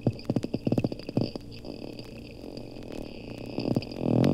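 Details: Captive pair of dolphins at the Lerner Marine Laboratory, Bimini, Bahamas, heard underwater: a quick run of distinct sharp clicks, a quieter gap, then a swelling creaky buzz.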